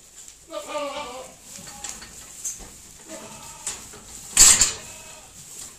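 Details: Wavering, nasal bleats from pedigree dairy goats relaxed in their shed in October: a long shaky call, then a shorter one a couple of seconds later, with a sharp metallic clatter near the end.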